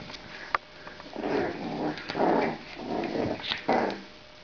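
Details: Playing French bulldog puppies give a run of low, raspy growling grunts, four rumbling bursts close together, with a sharp click near the start.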